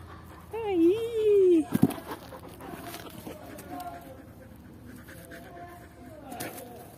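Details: Luna, an 11-month-old Belgian Shepherd puppy full of energy, fetching a boot on command, gives one wavering, high whine lasting about a second, followed by a sharp knock and a person's voice urging her to bring it.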